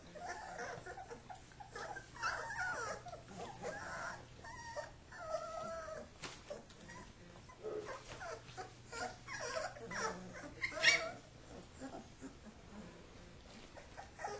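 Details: Kuvasz pups wrestling as their father supervises; intermittent play growls and high whining yips rise over a background of shuffling and bumping.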